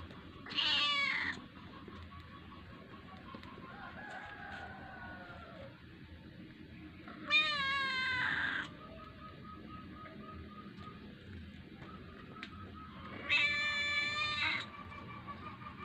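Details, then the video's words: Small kitten asking for food. Three loud, rich, wavering meows are spaced about six seconds apart, with quiet tonal hums and low background noise between them. "anak kucing lucu merayu untuk meminta makan"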